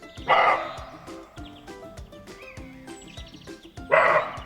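Two harsh, gruff barks from a roe deer, about three and a half seconds apart, over steady background music.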